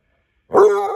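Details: Male Basset Hound, almost eight months old, begins a howl: a sudden, loud, tonal cry that holds steady and rings with rich harmonics.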